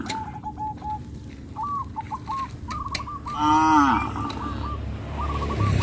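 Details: Cows on a traditional village farm, being led to rice fields after the harvest. Near the end comes a single short falling moo. Before and after it, repeated chirping bird calls and a steady background hiss are heard.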